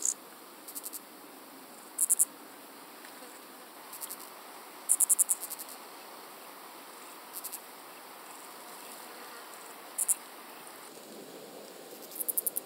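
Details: Calliptamus italicus, the common pincer grasshopper, on Pag, Croatia, 2 September 2019, heard through an ultrasound detector: brief, very high, clicking bursts of a few rapid pulses, spaced irregularly over a steady background hiss.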